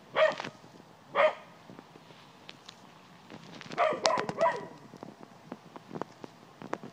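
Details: Cocker spaniel barking in a yard while trying to scare off a white-tailed deer: sharp, harmonic barks at about 0.2 and 1.2 seconds, then a rapid cluster of three or four barks near 4 seconds, with scattered clicks and rustling between.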